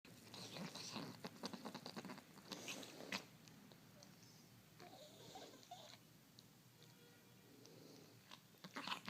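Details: Male cat with a respiratory disease grooming himself and making loud, odd noises: wet clicking licks and rasping, wheezy bursts in quick irregular runs, quieter in the middle, then busy again at the end.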